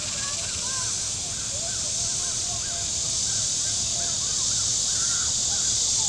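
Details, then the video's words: A warm-weather cicada chorus from the shore of Missouri's Table Rock Lake: a dense, sizzling high hum holds steady while a bird keeps up quick, repeated arched chirping notes underneath. "Boating Lake Sounds and Cicadas"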